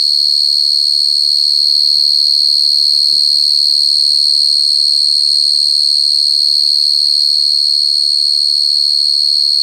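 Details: Unbroken piercing cricket trill, high and even, pulsing evenly around three times per second with a fainter upper overtone. Only a couple of soft taps break the background.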